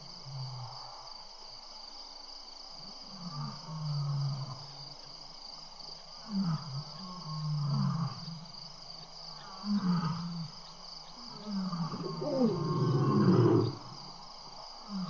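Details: Seven lions playing around a camera microphone and a rock at Tembe, evening of April 22, 2013: repeated deep grunts and rumbling growls build to a louder, rough snarling burst near the end, with faint high whine behind.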